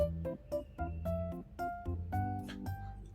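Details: Short playful piano phrase with bouncing chords, and no animal sounds are heard.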